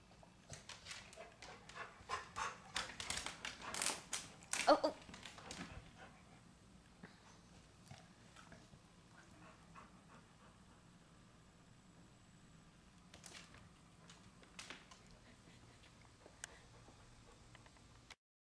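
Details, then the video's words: Chow Chow barking and huffing, provoked by a chipmunk peeking and playing hide and seek; a burst of sharp barks and pants in the first six seconds, then mostly quiet with a few faint clicks and thumps. "Chipmunk haunts Chow Chow"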